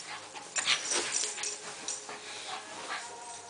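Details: Husky named Roscoe play fighting, giving quick airy yips and whimpering squeaks in close bursts, a louder cluster near the start, then softer scattered huffs over a faint steady hum.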